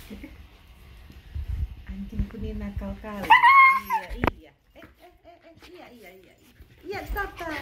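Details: Female Siberian Husky screaming while being brushed during grooming, her fur shedding heavily; a brief, shrill, wavering high-pitched scream rises sharply and falls. Whimpers and a person's Indonesian speech are heard before and after it.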